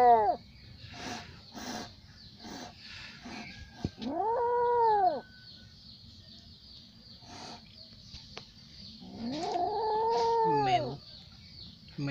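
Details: Little cat in an angry mood: short clicks and scuffles, then two long, drawn-out arching yowls, one near four seconds and a longer, louder one near ten seconds, over a faint steady high hum.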